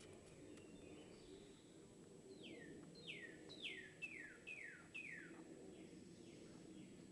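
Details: A baby squirrel being fed lets out a run of about eight sharp squeaks that fall in pitch, spaced roughly half a second apart, over a steady low background hum.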